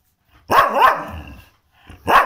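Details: An Indian household dog asking to go out for a walk gives a pair of sharp, close yelping barks, then another bark after a short pause.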